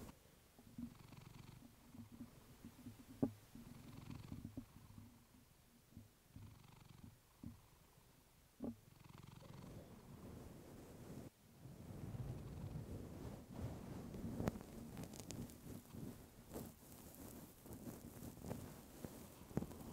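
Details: Female pet cat purring against a fluffy microphone: a rhythmic low rumble with breathy inhale bursts about every two and a half seconds, then louder rustling and crackling handling noise over the purr in the second half.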